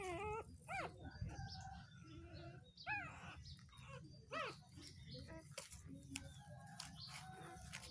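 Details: Sleeping newborn puppies, two days old, give a series of short, thin, high whimpers, each a quick wavering squeak, scattered irregularly over several seconds above a steady low rumble and soft rustling.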